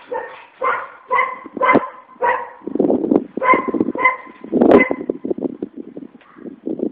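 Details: Enraged dog barking rapidly, nearly two barks per second, its ringing harmonic barks alternating with lower, rougher growling or snarling noise in a dense, continuous stretch.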